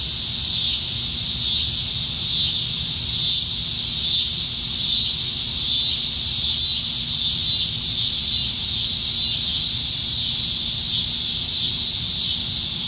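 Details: Summer evening in Nebraska, July 2019, with plentiful cicadas singing high in the trees; an unbroken, hissing high-pitched drone that wavers faintly in intensity.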